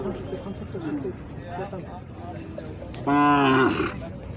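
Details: Khillar cattle at a bull market during the Kartiki Vari fair in Pandharpur; a strong, steady harmonic moo of under a second stands out over crowd noise, with softer calls from other cattle earlier.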